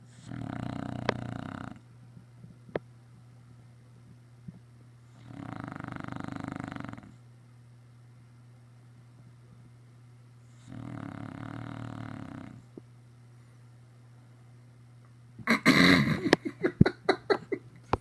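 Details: English Bulldog snoring after a busy day spent running around outside: three rasping, rumbling snores about five seconds apart, followed by loud crackling handling noise at the end.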